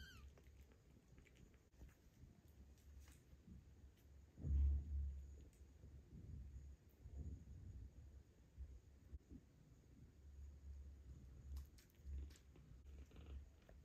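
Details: Purring from mother cat Ginger as her grown kittens suckle her milk, a steady low rumble through the whole stretch, swelling into a louder throb near the middle and again toward the end, with faint rustling alongside.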